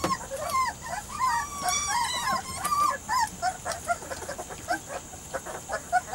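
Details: Three- to four-week-old Weimaraner cross Vizsla puppies of Biscuit's litter give overlapping squeaky whines and little yips, busiest early, thinning later amid scattered clicks and shuffling.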